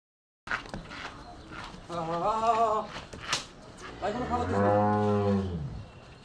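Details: A cow at NS Dairy Farm gives one long, low, droning moo that slides slightly downward and lasts about a second and a half. It follows a brief stretch of people talking nearby.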